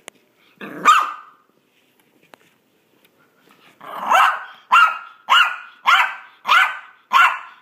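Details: Maltese dog playing fetch: a single growly bark, a pause with small clicks, then six rhythmic high barks about every half second, each short and sharp.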